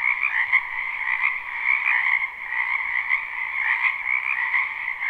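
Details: Many frogs in a springtime wetland behind a home give a continuous croaking chorus, captured live; overlapping rattling trills hold an even pitch, briefly dipping around the middle.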